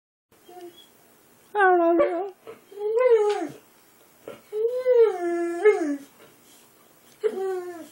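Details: A Boxer dog 'talking' indoors with drawn-out, whiny, howl-like vocal phrases that rise and then fall, about four bursts, while its owner speaks quietly between them.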